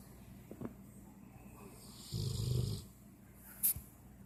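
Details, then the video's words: Dog asleep, giving one low, grating snore lasting under a second, with soft breaths before it and a small click afterwards in a quiet room. "Funny dog snoring"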